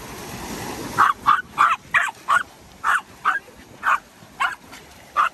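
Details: Dogo Argentino at the beach on a beach day, losing its fear of the water; short sharp barks, about eleven in five seconds at uneven intervals, over steady wind and surf noise.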